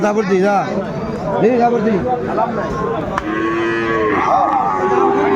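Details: At a busy Kurigram cattle market in Bangladesh, where Sahiwal bulls are traded, cattle low repeatedly in short, arched moos and then a longer sustained bellow, with people bargaining loudly all around.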